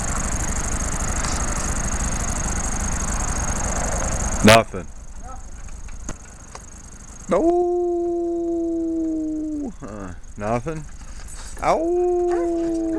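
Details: Dogs howling in August 2010: after several seconds of dense hiss ended by a sharp bang, two sustained, steady, tonal howls, each lasting about two seconds, separated by a few short yelping notes.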